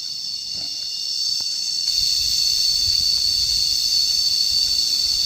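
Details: A continuous shrill cicada drone starts moderately loud, then swells noticeably after the first second and a half and stays intense. A few soft clicks sit in the background.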